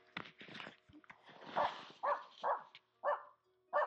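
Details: A Finnish Spitz gives five loud, mid-pitched barks, about two per second, after soft rustling and faint voices, during a grouse hunt in a snowy forest with black grouse and hazel grouse.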